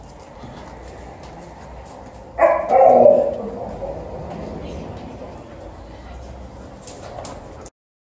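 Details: Liza, a female Alaskan Malamute, welcoming two parties home: a sudden loud, wavering howl-like vocalization lasting under a second amid steady indoor background hum, then fading murmurs.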